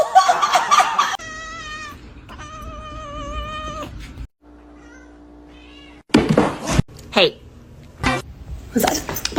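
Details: Pet cat meowing: two long, drawn-out, wavering meows in a row, the second fading out, followed by a child's screaming, people's speech and laughter.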